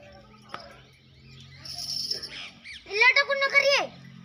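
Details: Mewati goat at a goat farm in Alwar, giving one loud, quavering, wavering bleat near the end, after faint background murmur and a brief sharp click early on.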